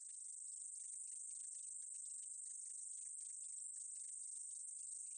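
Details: Continuous shrill hiss of a meadow katydid, steady in loudness, with dense rapid clicking beneath the drone.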